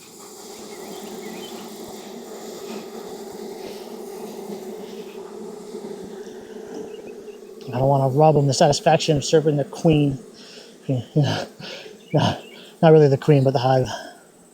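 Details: Steady low buzzing of a thriving honey bee colony, inspected in Texas heat after three rainy weeks; an even drone holds for seven seconds before a man starts talking over it.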